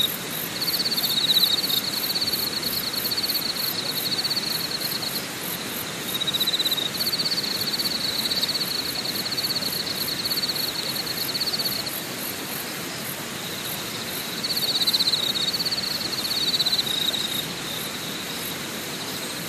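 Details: At night at Deokyudae Camping Site in Deogyusan National Park, Korea, a chorus of insects gives long, high-pitched buzzing trills lasting several seconds with short breaks, above a fainter, higher, continuously pulsing ticking chorus.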